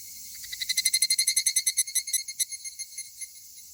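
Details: Two male higurashi cicadas, maybe fighting, give a quick series of bright, high, bell-like pulses. The pulses are loudest early, then space out and weaken toward the end.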